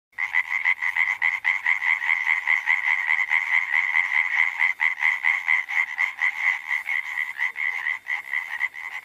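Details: European tree frog (Hyla arborea) from the Krasnodar Territory, where it lives in forest and riverside groves: a fast, continuous rattling chorus of bright, nasal pulses, several per second, with no pause across nine seconds.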